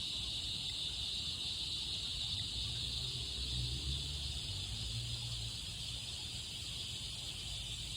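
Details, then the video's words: Cicadas sing in summer, a steady, high, hissing drone that runs unbroken throughout. "Cicadas singing"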